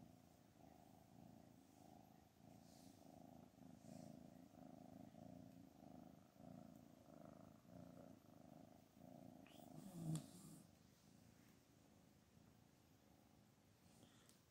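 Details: Anna, a mother cat that is angry and rejecting her kittens, gives a long rhythmic low purr, each breath cycle lasting about a second, with a faint click midway.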